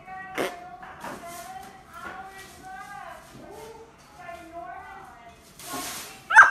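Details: A domestic cat from a funny-cat compilation gives a run of drawn-out, tonal meows, each rising and then falling, some strung together and others separate, with a short hiss of noise and a sharp sound near the end.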